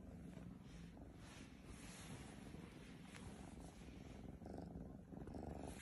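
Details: Oriental cat purring: a low, steady rumble that runs unbroken through the whole stretch, with soft breathy pulses and a faint hiss behind it.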